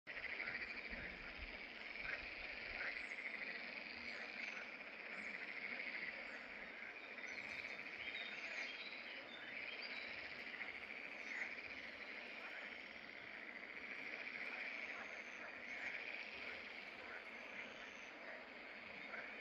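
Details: Green frogs of the genus Pelophylax calling from fishponds in the Draga valley at Salientisa, recorded 11 May 2024; a dense, continuous chorus of rasping croaks, with faint bird chirps above.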